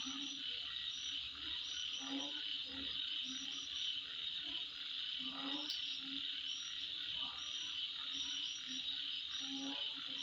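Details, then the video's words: Insects at midnight: continuous piercing high drone with scattered short chirps, accompanied by irregular deeper croaking calls and occasional faint clicks. "Sound Of Insect At Midnight"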